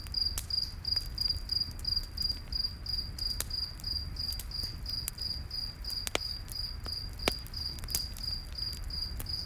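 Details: Cricket chirping steadily at night in the forest, a continuous high pulsing note, accompanied by frequent crackling and popping of a nearby campfire and low background rumble.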